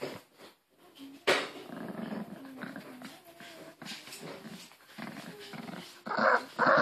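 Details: Harry the Maltese won't part with his Angry Birds plush, growling continuously and roughly in a small room; a louder burst begins the rumble and a person's voice comes in near the end.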